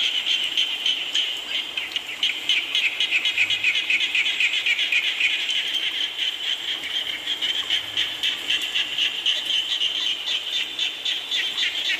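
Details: Frogs keep up a loud, high trilling chorus during rain, a steady stream of rapid pulses with brief swells, set against a low steady hiss.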